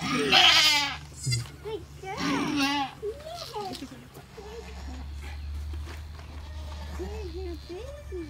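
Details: Alpine goat during the birth of triplet kids: two loud, wavering, high harmonic bleats near the start and at about two seconds, followed by quieter human talking over a low background hum.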